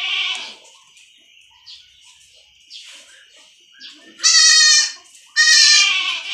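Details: Young goat kids on a farm, being injected with iron to prevent stunting: after faint calls, two loud, harmonic, wavering bleats about a second apart, each lasting roughly half a second, in a quiet setting.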